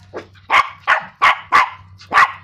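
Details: Chihuahua, scared of a stink bug yet barking at it: five sharp, high yapping barks in quick succession, roughly three per second, over a low steady hum, with a fainter lead-in yip.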